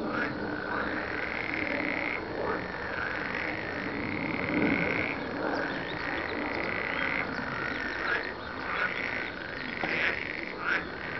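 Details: A continuous chorus of many croaking frogs, their rattling trills overlapping into a steady drone. Several louder bursts stand out toward the end.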